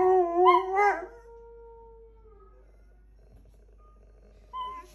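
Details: A household dog gives one short wavering howl that drops and fades into a long thin tone, followed by near silence and a faint brief note at the end.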